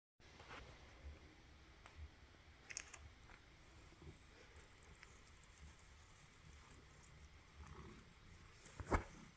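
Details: A tabby cat sneezes once, a sharp, brief burst of noise near the end, after a quiet stretch indoors with faint clicks and rustles; a person responds afterward.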